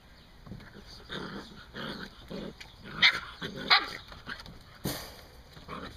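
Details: Several Standard Poodles play tug-of-war, each trying to pull a rope away from the others. Gruff growly bursts run throughout, with two sharp, louder barks close together midway and another abrupt bark near the end.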